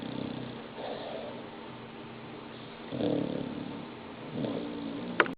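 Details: Sleeping dog snoring, giving soft, husky, low-pitched breaths that rise and fade about every second and a half, with quiet pauses between them and a brief sharp click at the very end.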